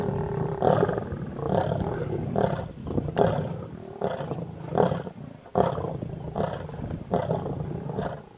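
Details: Mega lion pride at a buffalo kill on the road near Satara rest camp, Kruger National Park, South Africa: gruff snarls and growls pulse roughly every second, with sharp loud onsets over a steady low rumble.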